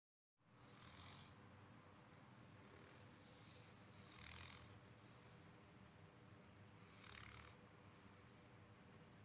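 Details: Beau, a sleeping dog, snoring softly: three hoarse, breathy rasps about three seconds apart over a steady low background hum.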